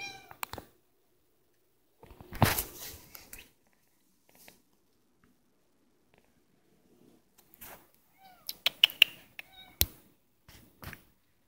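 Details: Domestic cat meowing indoors in a small room: a few short, high, bending meows near the end, mixed with sharp clicks, rustling and brief broadband bursts, with quiet gaps between.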